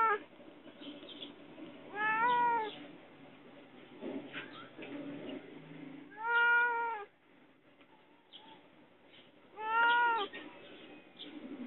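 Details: Cat locked in and asking for help gives three long, wavering meows about four seconds apart, each arching up then down, with quiet rustling and soft clatter between them.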